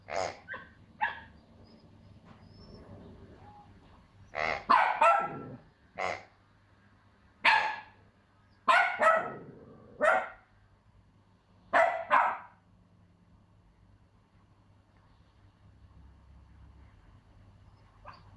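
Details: A female Pomsky puppy gives sharp, high yapping barks in uneven bursts, barking out of fear at a new, noisy piggy toy.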